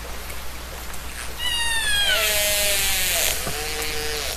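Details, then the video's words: Whale heard in the ocean as a soothing nature sound: one rich, descending harmonic wail flattens into a sustained lower tone, then a faint second note, all over a steady rushing background. "ocean whale sound effect"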